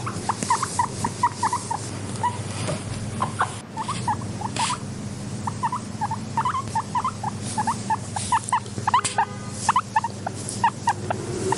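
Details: Gentle wheeking from a content pet guinea pig. Clusters of quick rising squeaks alternate with brief pauses, with scattered soft taps and a low steady hum beneath.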